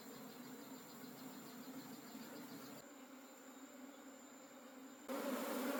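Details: Honey bees of a wild forest colony hum during a honey harvest: a continuous low, even drone with a faint high whine, swelling abruptly louder in the last second.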